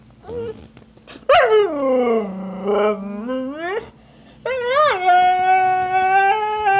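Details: Husky Snow protests vocally because Trixie, an Australian Cattle Dog, took her bone; a swooping howl dips low then climbs sharply, followed by a brief pause and a higher, steadier sustained wail.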